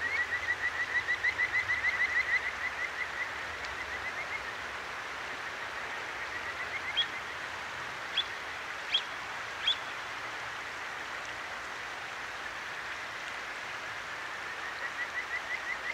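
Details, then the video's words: Kajika frog by a clear mountain stream in Akigawa Valley, Tokyo, at night, recorded with a ZOOM H6: an opening burst of fast, even chirps, then only water, with four sharp high clicks or bird notes midway and a faint trill at the end. "清流の歌姫 カジカガエルと川のせせらぎ"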